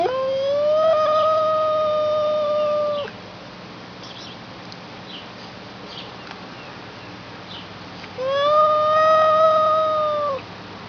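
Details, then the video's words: A talking house cat gives two long, sustained meows about five seconds apart. Each one rises at the start, holds a steady, slightly wavering tone for around two to three seconds, then drops off. Faint room noise fills the pause between them. "Cute Talking Cat!"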